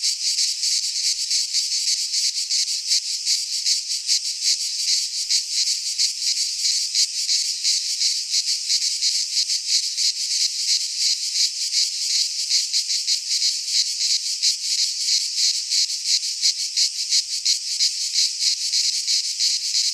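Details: Pine forest cicadas in Greece during midsummer keep up an unbroken piercing buzz for twenty seconds, finely and rapidly pulsed, with an even volume and no other sounds.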